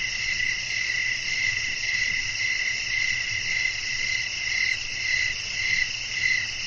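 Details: Nighttime crickets sing in a windy natural setting. A dense, shrill insect drone runs throughout, and high chirps repeat at an uneven pulse of under two per second.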